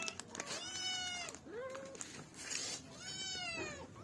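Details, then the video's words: Cat meowing: three drawn-out meows, each a harmonic-rich arched cry lasting about a second, with a shorter rising-falling mew between them; faint clicks and background hiss throughout. "Billi ki Awaj|cat sounds|Cat Mewoing Sound Effect"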